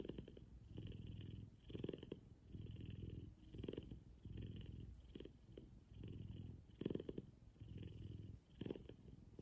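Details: A big F2 Savannah cat, Kumba, purrs loudly while cuddled in the morning, producing a coarse low-pitched rumble that swells and fades rhythmically with breathing, roughly every one to two seconds, heard up close indoors.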